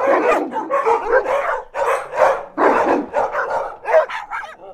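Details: Large pack of dogs of various breeds and sizes, large to small, barking close up: dense overlapping barks and yips with no pauses, deep and higher voices mixed, a chaotic chorus throughout.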